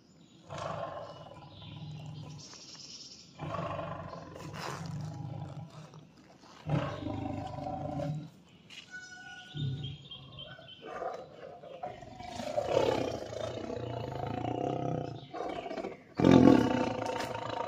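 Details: Tiger roaring in a series of deep, rumbling bursts lasting one to three seconds each, separated by short pauses, with a louder, harsher roar near the end and faint background sounds between calls.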